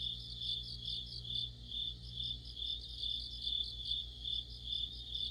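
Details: Deep-autumn insect chorus led by crickets, shrill trills rising and falling in an even rhythm of about two pulses per second, accompanied throughout by a low, steady mechanical hum.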